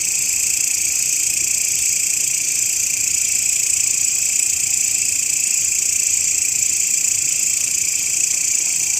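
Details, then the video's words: Grasshopper sound offered as a master recording for training songbirds: an unbroken, high-pitched shrill buzz in several stacked layers, steady in loudness throughout with no pauses. "SUARA BELALANG,MASTERAN BURUNG YANG SERING DI CARI-CARI OLEH KICAU MANIA"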